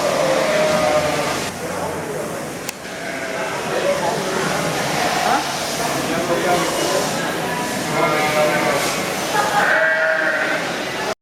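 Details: Mating call of Boer goats: quavering bleats come in quick bursts, harsher around the start and again near the end, over constant human chatter and background noise.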